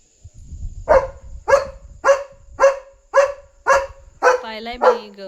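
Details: A German Shepherd barks nonstop at night to protect its territory and alert the household to a dog outside. Evenly paced barks about twice a second, with low background rumble and a harmonic human-like voice under the last barks.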